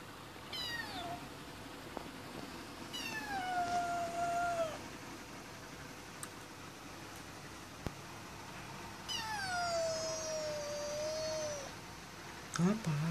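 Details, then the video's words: Pet cat that wants to go out gives three long, insistent meows, each held about one and a half to two seconds with a falling end, spaced a few seconds apart, before a person starts speaking. "My Cat Want To Go Out"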